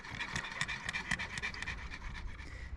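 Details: Female dog panting after coming in from a swim on a busy day, aboard a catamaran anchored in a rocky cove off Sardinia. Quick, breathy huffs come about four times a second over a soft background hiss.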